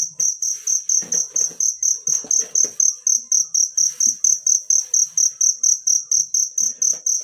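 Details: Cricket from the wild, recorded for training songbirds, giving shrill even chirps roughly twice per second over soft low rustling and thuds early on.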